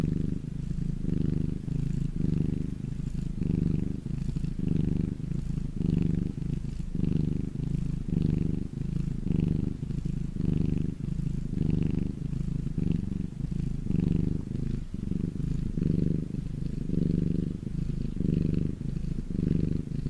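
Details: Domestic cat in the sunshine purring steadily for a long stretch, a deep vibrating rumble in even inhale and exhale pulses near one per second.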